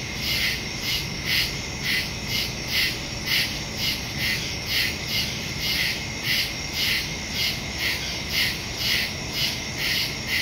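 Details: Crickets calling in the woods at night, September 2 recording on a phone with stereo microphone: evenly spaced shrill chirp pulses roughly twice each second, continuous chorus.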